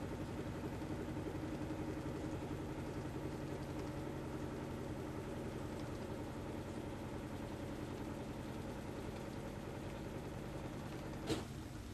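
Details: A steady low mechanical drone with a constant hum fills the recording, broken by one brief sharp click near the end; no animal calls.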